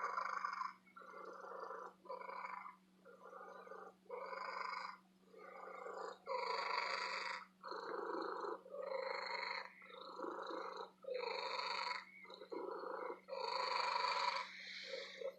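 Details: A female house cat purring at an antique store: a loud, throaty, continuous purr that pulses in short bursts of roughly half a second to a second, with a faint constant hum in the background.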